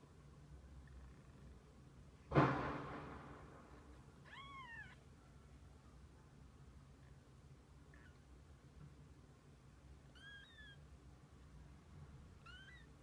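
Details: Kittens and their mother cat together: several high, arched meows spaced a few seconds apart, some rising then falling, after a sharp thump near the start, with a low droning hum behind.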